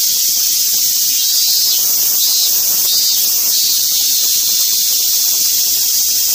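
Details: Steady, loud cicada buzz, an unbroken high rasping hiss with slight wavering in the middle.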